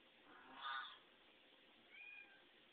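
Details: Domestic cat indoors meowing in response to a cat shown on television, before realizing it is only a screen image; one short harmonic meow, then a fainter, higher second call about a second later.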